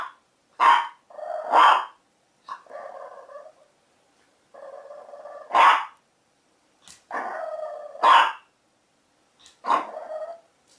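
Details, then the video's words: Barking puppy: loud, sharp barks spaced irregularly, about one every two seconds at first, mixed with longer wavering, tonal whining or grumbling sounds between them. "Cute Puppies Barking"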